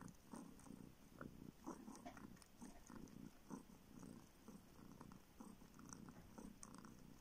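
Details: Kitten that was found homeless on the street and never drank its mother's milk, now living in a village in northern Siberia, sucking a finger in search of milk indoors; low rumbling purr in uneven bursts with wet sucking clicks.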